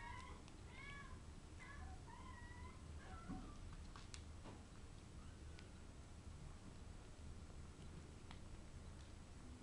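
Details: British Shorthair kitten playing with a bug indoors, giving a run of short, thin high meows with harmonic stacks in the first two seconds, then softer scattered chirps and clicks over a steady low hum.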